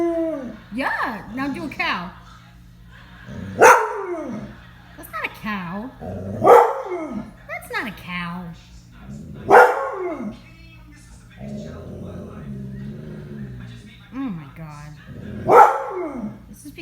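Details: A dog making animal sounds and howling on command for its owner: five loud arching howls spaced roughly three seconds apart, each a short rise and fall, interleaved with a woman's chatter and a low background hum.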